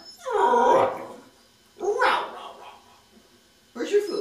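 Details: Whippet Meeko asks for breakfast with 'talking' sounds: a drawn-out whine that slides downward, then a shorter rising-falling moan and a brief final yelp. Human voice around it asks about breakfast.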